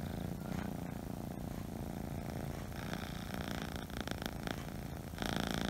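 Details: Purring Scottish Fold or Scottish Straight kitten indoors, giving an unbroken deep rumble with a fine rhythmic flutter; some crackly handling noise near the end.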